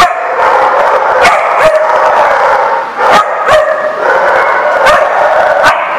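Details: Dogs bark continuously in a loud overlapping chorus, with several sharp percussive knocks spaced through it.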